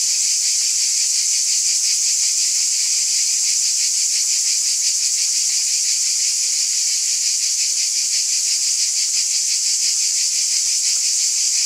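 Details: Summer-night chorus of cicadas, an unbroken high shimmering drone with rapid rhythmic throbbing running through it, even in loudness throughout, nothing else audible.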